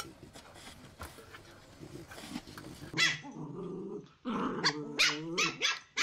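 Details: Puppies barking: after a quiet, noisy opening, a sharp high yap bursts out, followed by a drawn-out whiny bark with clear harmonics and then several short, shrill yaps in quick succession near the end.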